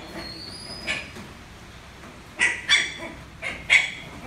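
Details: A young Lhasa Apso puppy barking for the first time while playing with a rolling box lets out thin, squeaky, high yips, single and paired, irregularly spaced, over faint hiss and a brief rolling squeak.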